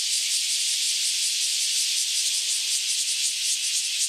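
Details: Newly emerged cicadas in full chorus after years underground: a loud, dense, hissing buzz, almost smooth with only faint wavering, filling the high range without pause.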